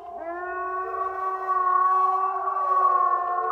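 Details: A single grey wolf (Canis lupus), critically endangered in Norway, gives one long howl that rises briefly, then holds a smooth, mellow, harmonic tone for several seconds, swelling slightly at the end over a faint low rumble.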